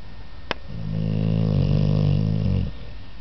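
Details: An American Staffordshire Terrier asleep, giving one drawn-out, deep, buzzy snore of about two seconds that swells and then fades. A sharp click comes just before it, in a quiet indoor setting.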